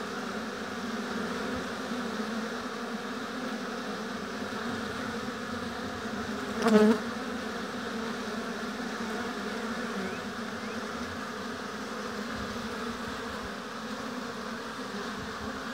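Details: Many honey bees droning at a hive in an apiary; the steady hum is broken about two-thirds in by one bee passing close with a sharp, louder buzz before the even drone resumes.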